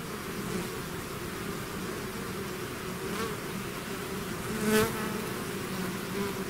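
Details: Bees swarming from their hive hum steadily, a thick layered drone, with one bee zooming past close by near the end in a rising and falling whine.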